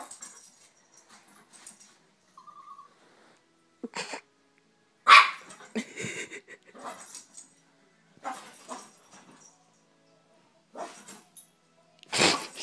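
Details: Two Yorkshire Terriers fighting indoors: sharp, scattered barks and yips in short bursts, with quiet gaps between them and a brief high whine midway.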